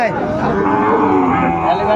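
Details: Sahiwal breed bull at the Ambari haat, Netrokona, Bangladesh, on 8 November 2024: a short, continuous bellowing moo that stays level, with faint crowd noise behind.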